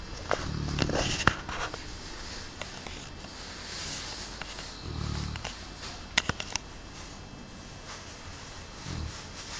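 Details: Aristo, a large pet Cane Corso, snoring indoors: low, rumbling breaths rise and fall in slow bursts several seconds apart, with faint clicks and a quiet room hiss between them.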